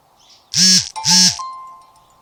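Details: Kitten watching birds makes two short, loud, rising-then-falling meow-like calls in quick succession, each rich in harmonics, followed by a faint steady tone as the room goes quiet.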